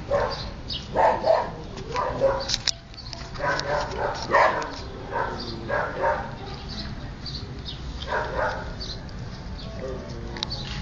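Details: Siberian Husky puppies playing and eating together; a busy run of high-pitched yips, squeaky whines and short yelping bursts overlaps almost continuously, several pups calling at once with no clear rhythm.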